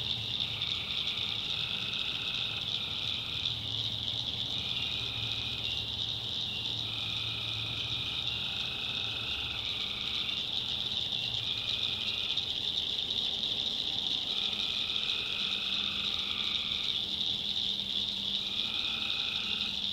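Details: Night chorus of tree frogs from a North Carolina backwoods swamp: mid-pitched trills about a second long repeat every two to three seconds from several callers, under a steady shrill wall of crickets.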